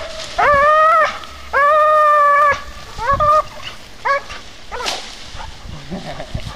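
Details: From Vénus, an American Staffordshire Terrier: two long, level, whining howls, then a few short rising yelps that thin out into quieter scattered sounds toward the end.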